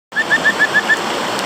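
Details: Kajika frog giving its advertisement call: six short, clear whistled notes in quick, even succession, each slightly upswept, over the steady rush of flowing stream water.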